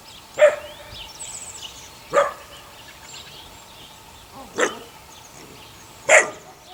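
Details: Eight-week-old puppies from the neighbour's dog Sunny, six in the litter: four separate shrill yaps spaced about two seconds apart over a soft hissing background.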